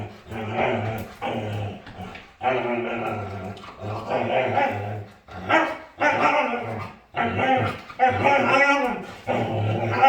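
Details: A dog at play makes drawn-out, groaning, growly vocal sounds in a run of bursts, with a person's voice mixed in.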